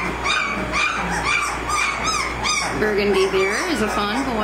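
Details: Young American Mastiff puppies, 18 days old, from Kimi and Viho's litter give a run of short arched squeaks. Lower, drawn-out whines follow, with the pups overlapping each other.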